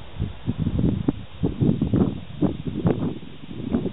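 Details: Piglets of the domestic pig, recorded in 2009, making a dense run of short, low, rough grunts and snorts. They come in quick overlapping bursts roughly every quarter to half second, with faint rustling beneath.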